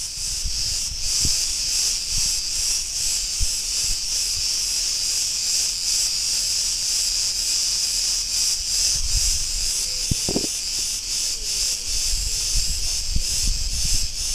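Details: Cretan cicadas singing in a street in Ierapetra, Crete, Greece: a dense, continuous high buzzing hiss with a rapid pulsing shimmer, holding steady throughout. Low traffic rumble sits underneath, with a brief faint tonal squeak near the end.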